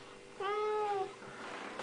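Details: Siamese cat named Mal, coaxed indoors to say hello, gives one drawn-out meow lasting just over half a second. It holds a steady, slightly falling tone with clear overtones in a quiet room.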